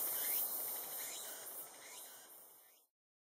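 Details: Tsukutsukuboshi cicada, the latest cicada of the season to begin calling, giving a dense, shrill high-pitched buzz with faint pulsing that gradually weakens and cuts off after about three seconds, followed by silence.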